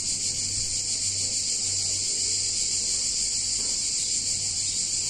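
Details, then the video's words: Cicadas singing on a hot summer day in a picturesque Italian town: a dense, shrill, unbroken buzzing drone holding steady throughout, with a faint low hum underneath. "Cicadas In Warm Summer Day In Italian Town"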